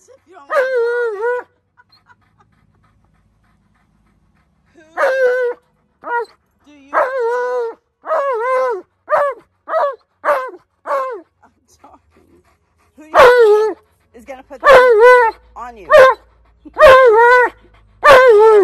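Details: Alaskan Malamute Tonka yelling insistently at his owner: an opening wavering yell, a pause, then rapid series of short arched woo-woo yelps, ending in a fast burst of louder sharp yelps.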